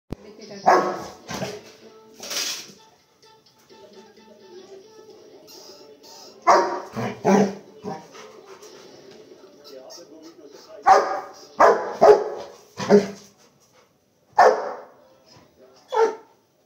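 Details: A Rottweiler, on seeing a rat, gives deep, loud barks in short bursts, with talking and faint music in the background.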